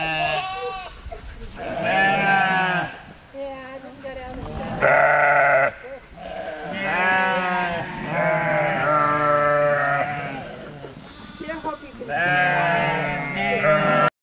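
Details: Lambs rejected by their ewe and cared for by a sheepdog on a farm give repeated quavering harmonic bleats throughout, several overlapping, with brief gaps between calls.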